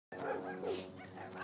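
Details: Lilo, a female Border Collie playing fetch, her favourite game, at a dog park, gives two short, strained, tonal yelps close together, followed by a softer whining tail, with a little background noise.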